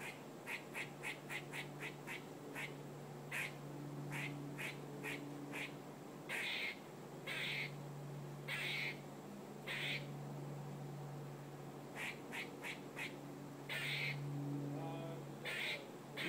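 A squirrel gives harsh, quacking barks in quick runs and slower single bursts over a steady low hum.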